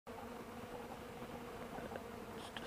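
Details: Bees flying on a warm 65-degree December 2, 2012, after being fed honey and old cappings; a dense, steady buzzing hum from many insects fills the air.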